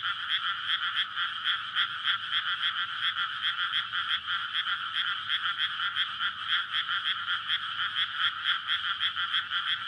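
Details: Night-time mating chorus of frogs from a water-filled rice field in May, recorded with a SONY PCM-D100 near houses and a road. Continuous dense croaking, countless pulsed calls layered into a steady high-pitched wall of sound.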